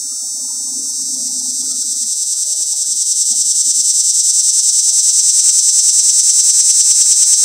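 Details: Mating call of a cicada in a pear tree, recorded close up: a high, shrill buzz that swells steadily louder, throbbing in rapid regular pulses about three times a second, with a brief low hum early on.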